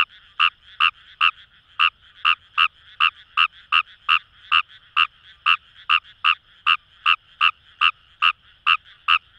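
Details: Fejervarya kawamurai in Japanese paddy fields, Itoshima, Fukuoka, by the Kamo River: evenly spaced, short, buzzy croaks repeated about twice a second over a faint distant frog chorus.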